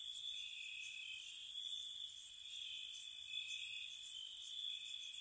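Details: A cottage on a spring night, crickets chirping: one even, sustained high-pitched trill runs throughout, joined by a few clustered, fizzing bursts of very high chirps.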